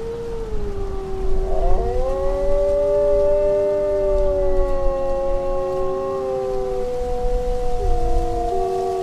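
A Siberian Husky gives long, drawn-out howls that waver and glide slowly in pitch.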